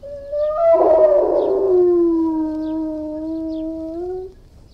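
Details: Long, drawn-out howl from an Irish Wolfhound: it rises into a rough, strained peak, then settles into a steady, low, mournful tone held for several seconds before stopping abruptly.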